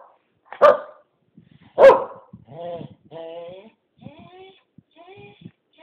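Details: A pet Keeshond named Blue, eager to go outside, lets out two sharp barks and then a string of warbling, sing-song whines that fade away, with a person speaking nearby.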